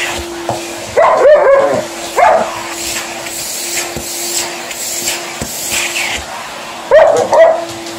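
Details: Indoor Alaskan Malamute voicing complaints at a running hoover: brief warbling yips and moans early on, a quiet stretch of machine hum, then two more short wavering cries near the end.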